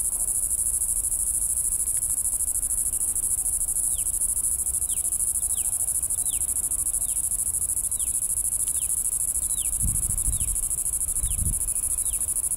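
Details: Red-nosed cicada in its natural habitat in Bengaluru: a steady, very high-pitched whine holds unbroken throughout, while short descending chirps repeat about every half second from the fourth second. Low thumps come near the end.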